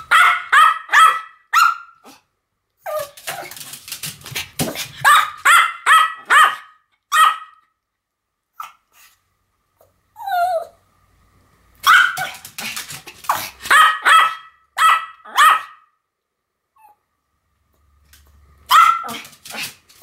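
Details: Duet barking by two Pomeranians named Sam and Marin, dense bursts of shrill yapping barks, several per second, broken by short silences and a single whiny yelp midway.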